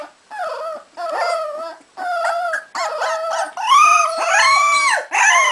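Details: A litter of 3.5-week-old Cardigan Welsh Corgi puppies in Sweden howls in chorus. Wavering, harmonic howls about a second long are separated by brief pauses, growing louder and higher-pitched toward the end.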